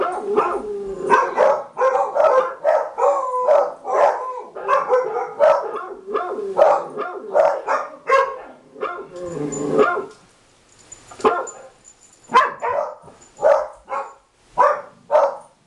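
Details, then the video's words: Three pet dogs indoors, a young black and white dog named Travis, a female beagle named Lucy and an older small dog named Rusty, bark in reaction to a played recording of barking dogs: rapid overlapping barks, then spaced single barks after a short pause. "Dogs Barking"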